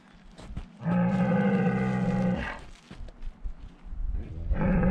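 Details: Highland cattle bulls on a farm in Finland, walking through woods towards the camera on 1 March, recorded with a GoPro; a long, steady, deep moo of about one and a half seconds, then another starting, with footsteps between.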